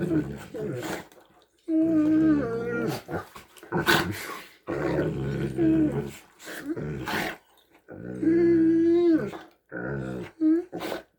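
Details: Two Great Danes indoors making strange hippo-like noises: drawn-out, tonal groaning moans with rich harmonics, rising and wavering in bursts of one to two seconds, separated by short pauses, with low growly undertones in a small room.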